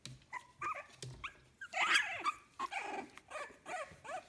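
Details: Fifteen-day-old puppies of litter "A" at kennel Fox Empire give high, squeaky whimpers in short bursts, some rising then falling, with a louder broadband squeal near the middle and soft rustling between calls.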